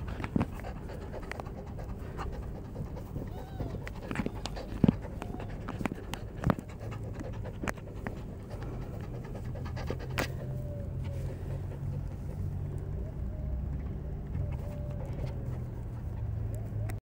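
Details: Three-month-old Beagle puppy Snoopy breathes in quick, airy pants over a low humming background, broken by scattered sharp clicks and taps throughout.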